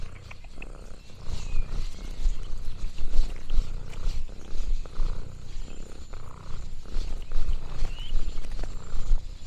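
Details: Loud, close purring from Lexi the orange tabby cat on a countryside farm day: a low rolling rumble pulsing in breath-length surges, with light rustling and a faint distant chirp over it.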